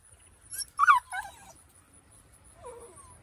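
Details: Eight-week-old Kelpie/Border Collie cross puppies: one brief pair of high, falling whimpers, then a softer short whine near the end, over quiet low rumble and a steady faint high tone.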